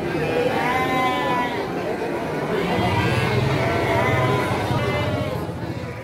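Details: Bleating Garut ewes at Pasar Andir livestock market, Priangan, 5/4/2021, a morning market held Mondays and Thursdays: repeated quavering bleats with rich overtones, about three in six seconds, half buried in loud human chatter.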